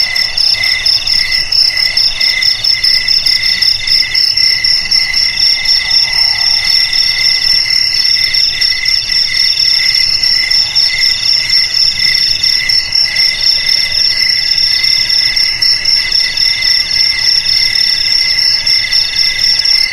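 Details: Crickets in a dense chorus, several high trilling voices stacked at different pitches, each pulsing rapidly and without a break for the full twenty seconds, with a faint low hum beneath.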